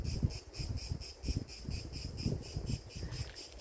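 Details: A cicada in the tree just overhead sings a shrill, buzzy drone throbbing about four pulses a second, over low wind and handling rumble.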